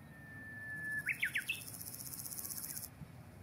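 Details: Small Nakiinago grasshopper calling in mountain grassland, rubbing forewing veins against its hind leg. Its sound is described as shaka-shaka or ja-ja-ja. A high, hissing, rapidly pulsed buzz lasts nearly three seconds, overlapped by a thin whistle and three quick bird chirps.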